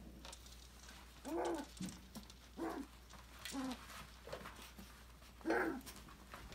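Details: Australian Labradoodle puppies, five weeks old, having fun in an enrichment play area; a few short whiny yelps spaced about a second apart with a final louder squeal, light pattering and low electrical hum throughout.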